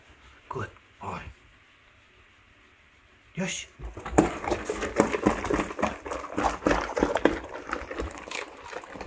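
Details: Labrador Retrievers Tico and Remi, male dogs on a raw BARF diet, eating egg-topped rice with raw quail eggs and raw chicken bones indoors; a woman's brief speech and thumps first, then dense wet crunching and slurping bites for five seconds.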